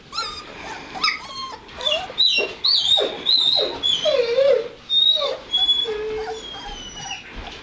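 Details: A litter of White Shepherd puppies, two and a half weeks old and just starting to get around, whine and squeal in high, wavering cries that rise and fall, several pups overlapping in a steady run of thin yelps.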